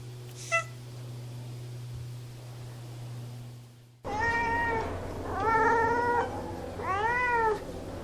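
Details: Domestic cat meowing indoors: after a near-silent first half with one short faint squeak, three loud drawn-out meows follow, each rising then falling in an arched shape, the middle one longest, over a steady low hum.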